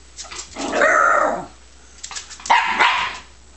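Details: Scottish Terrier puppy indoors giving two short, harmonic yelping barks, the first longer and drawn out, the second sharper about a second and a half later, against quiet room background.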